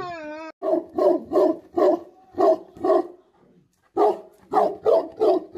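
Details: Angry Tibetan Mastiff dogs, known as Bhote Kukur, barking: a brief high whining howl opens, then a steady run of deep, gruff barks about every half second, a short pause, and another quick burst of barks.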